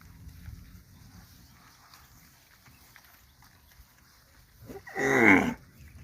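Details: On a winter morning, a grazing cow gives one brief, loud moo that rises in pitch after several seconds of quiet.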